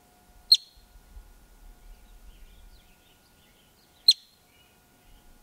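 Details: Male yellow-bellied marmot filmed up close in the wild just outside Yellowstone park, giving its alarm call: two sharp, high, piercing chirps about three and a half seconds apart, with faint low rumbling and quiet background between them.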